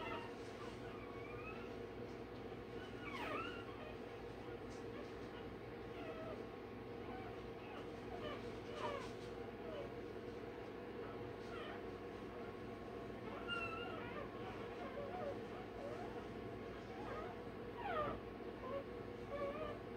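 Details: A Rottweiler pup just a day old, during tail and dewclaw removal, gives scattered thin whimpers and short rising squeaks throughout, some sharp and quick, others drawn out, against constant low humming noise.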